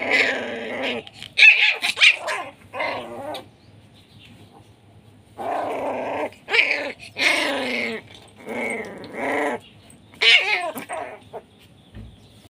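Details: Aggressive Pit Bull puppy of the SHERA blood line from Nanu pitbull farm, giving harsh, raspy barks and growling snarls in short clustered bursts, separated by brief quiet pauses.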